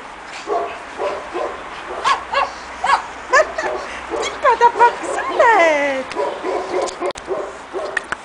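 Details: Pekingese puppies aged two and a half months, first time outdoors in the snow in Tallinn, Estonia: short high yips and whining, rising-and-falling whimpers in the middle, with voices talking throughout.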